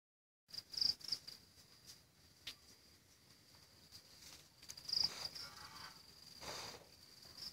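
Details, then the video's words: A cicada in Sihanoukville, Cambodia gives a steady, high, ringing drone that swells into brighter bursts now and then. "Насекомые Камбоджи - Цикада. Insects Cambodia - Cicada."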